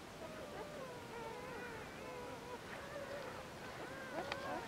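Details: Seven Border Collie puppies, two days old, born 14 February 2019 to the dam Glycine on a French farm, give thin wavering squeals and whines that rise and fall in overlapping strands, with a soft background hiss and a faint human voice.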